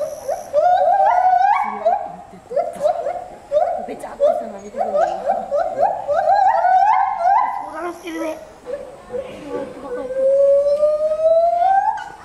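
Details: Zoo gibbons at Asahiyama Zoo on 24 July 2014, calling high at 14 m: a long chain of quick rising whoops in bursts, pitch stepping upward within each burst, ending in one drawn-out note that slowly climbs; faint background chatter.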